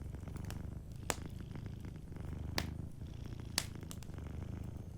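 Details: Sleeping cat purring softly beside a fireplace, a steady low rumbling throb running throughout, with three sharp crackles of burning wood popping at intervals and fainter fire ticks in between.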